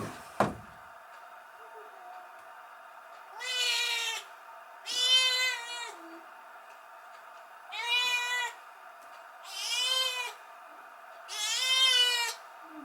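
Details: Former stray kitten, taken in on a rainy night and kept indoors, meowing while left alone by the woman of the house; five loud, drawn-out, bright meows roughly every one and a half to two seconds over a quiet hum.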